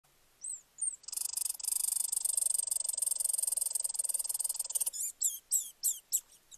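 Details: Red squirrel; warning call; warning of danger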